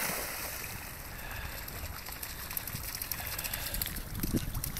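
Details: Wind and lapping water on the Adriatic shore at Senigallia, with only a faint splash and no animal voice.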